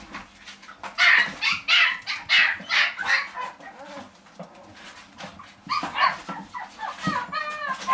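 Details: Dog at a pet shop giving a run of high, sharp yapping barks about two per second in the first few seconds, then quieter scattered yelps and a brief squeaky whine near the end.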